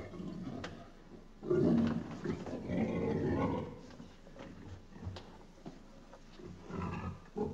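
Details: Pig giving low, rough grunts, one loud drawn-out grunt early on, followed by softer, irregular grunting and a final grunt near the end.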